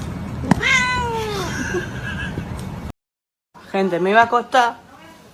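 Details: Kitten meowing: a long, falling meow, then a short silence and a quick run of wavering, warbling meows, with faint background hiss.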